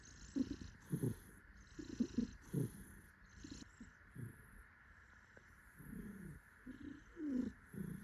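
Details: Happy tuxedo cat being held by its owner, purring in uneven bursts; rumbling pulses start, pause briefly in the middle, then return stronger near the end.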